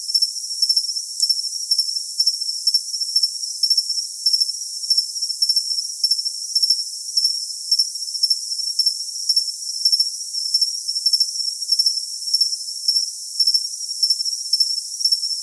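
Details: Long run of steady cricket chirping, used as tinnitus masking: shrill pulsed chirps repeating nearly twice a second, evenly through a constant high-pitched hiss.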